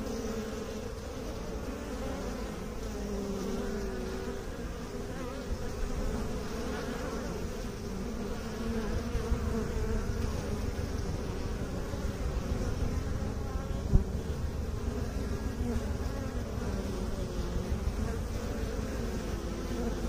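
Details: Honey bees kept by beekeepers, a steady low droning buzz with layered hum bands around a few hundred cycles, continuous and even throughout, many bees sounding together with no other clear sounds.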